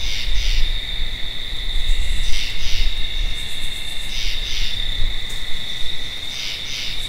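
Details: Tree frog uttering quick double rasps at steady intervals of about two seconds, with constant shrill insects and some low background rumble.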